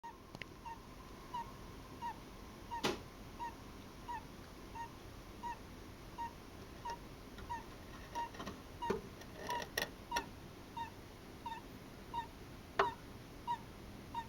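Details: Russian Blue Djungarian hamster snoring and sleep-talking while asleep: soft short squeaky clicks repeated about every half second in a steady rhythm, with a few louder sharp ticks over a quiet hiss.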